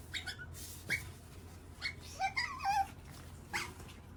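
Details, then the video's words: Otter making squeaky, hungry noises at lunchtime: a run of short high squeaks and chirps, some rising and wavering, several overlapping around the middle, with quiet indoor background. "Squeaky and Hungry! Otter Makes Cute Noises for Lunch"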